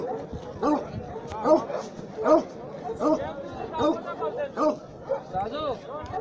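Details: Black and white Bully Kutta, a large muscular mastiff breed from Pakistan, giving deep harmonic barks repeated roughly every three-quarters of a second in a steady series, with some voices in the background.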